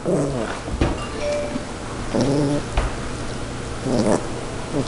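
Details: A pet Yorkshire Terrier growls while fighting over a zucchini: rough, low, buzzy growls in repeated short bursts about every second, with sharp knocks and clicks of the tussle indoors.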